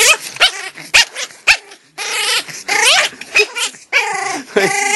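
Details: Pomeranian puppy in a playful "evil" mood the owners call Gizmo mode, giving loud harmonic yips and warbling growl-whines in quick irregular bursts, close to the microphone.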